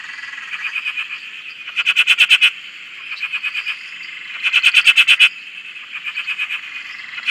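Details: Frogs on a farm dam in Australia, a continuous trilling chorus with louder bursts of fast pulsed croaks alternating with softer ones, about every one to three seconds.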